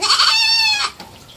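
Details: Three-month-old baby goat kept as a pet, one steady high bleat lasting under a second with rich even harmonics, then quiet.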